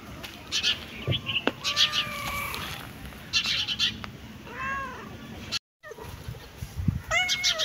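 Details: Cat meowing several times: short, arched, harmonic meows that rise and fall, spread across about seven seconds with brief pauses between them, a moment of silence near the end, and faint background noise throughout.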